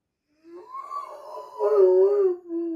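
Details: Big Dobermann crying while its sister is in surgery, a rising and falling moaning wail that swells louder midway and ends on a lower held note, heard indoors with no other sounds.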